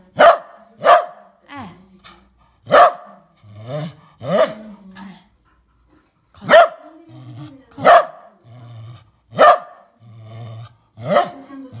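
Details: An old Fox Terrier defending his toy gives sharp, angry barks, spaced about a second apart, with low growls between them.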